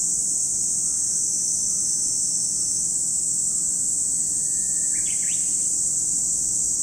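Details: Cicadas at Lake Kamo in Sado City, Niigata Prefecture, Japan; a dense, unbroken high-pitched shrill drone holds steady throughout, with a short chirping bird call near the end.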